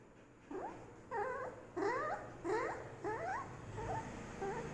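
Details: Golden Retriever puppy crying in a series of high, rising whines, about six thin cries in quick succession, each sliding upward in pitch before breaking off.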